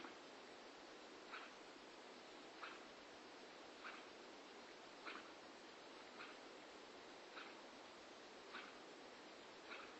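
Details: Sleeping Staffordshire Bull Terrier female snoring loudly indoors, each breath a raspy rough burst repeated about every 1.3 seconds over a steady background hiss.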